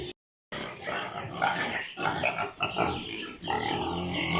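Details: Piglets on a pig farm, a dense chorus of overlapping grunts and squeals, steady and busy throughout with short harsh bursts, after a brief silent gap at the start.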